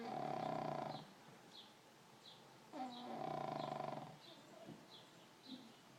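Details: Pug asleep and snoring: two long, buzzing, fluttery inhalations about three seconds apart, each roughly a second long, with faint soft breaths between them.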